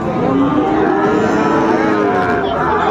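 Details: Sahiwal bull calves at Raniganj cattle market, Dinajpur district, Bangladesh, on a Thursday, 16 January 2025; a drawn-out harmonic moo rises above the steady murmur of a crowded market, with voices talking throughout.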